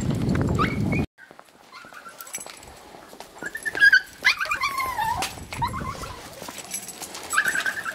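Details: Golden Retriever up for adoption: a loud low rumble at the start, then a silent gap, then thin, wavering, high whines and whimpers rising and falling, mixed with soft clicks and rustling indoors.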